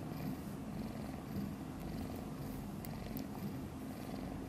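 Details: Newborn kitten Guitar, one of five kittens born a few days earlier to mother cat Chan, purring while sleeping soundly; a steady, low, pulsing rumble runs throughout with faint soft clicks above it.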